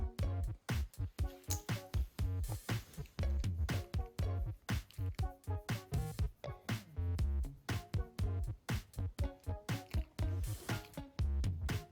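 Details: Punchy electronic music with strong bass beats and choppy rhythmic bursts fills the whole stretch.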